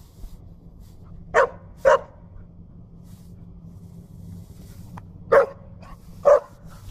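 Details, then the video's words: Zoe the puppy barks at a push broom: four sharp, mid-pitched barks in two pairs, about half a second apart, near the start and end, with a quiet low hum between them. "Zoe the puppy versus Pushbroom"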